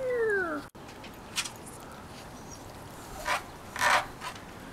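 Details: Six-week-old Cavalier King Charles Spaniel puppies, five in all, romping on a deck with their mother Diva: one clear descending whine with layered overtones at the very start, then rustling and soft thuds against a steady background hiss.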